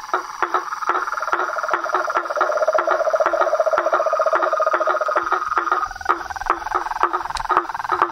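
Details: Frogs, toads and a tree frog outdoors: a beaded lower trill swells in the middle, a higher rattle runs alongside, and evenly spaced sharp clicks continue to the end.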